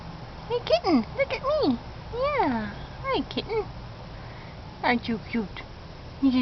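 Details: A kitten, filmed in August 2011, gives a run of arched, falling mews in quick bursts, each sliding down in pitch, mixed with a person talking softly to it.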